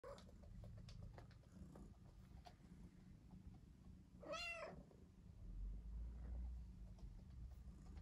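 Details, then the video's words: Domestic cat giving a single clear meow in the middle, a rising then falling harmonic-rich cry lasting about half a second, amid quiet indoor background hum and soft rustling. "Cat Meow"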